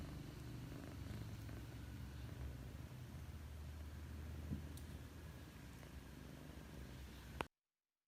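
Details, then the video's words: A sleeping cat snores in steady, low, rumbling pulses, soft and continuous, before a faint click and sudden silence at the end. "Funny sleeping cat: the cat snores"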